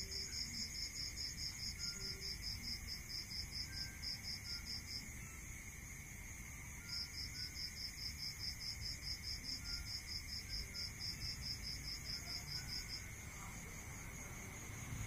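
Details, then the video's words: At night in the countryside, a cricket gives long runs of quick, evenly spaced high pulses with one short break, set against a constant layered insect drone and a soft low rumble. "Listening to Cricket Sound"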